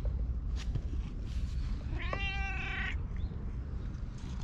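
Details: Stray community cat in a Japanese park, filmed on a GoPro: a single steady, drawn-out meow lasting just under a second, with rich harmonics and an even pitch, set against a low rumble of outdoor background noise.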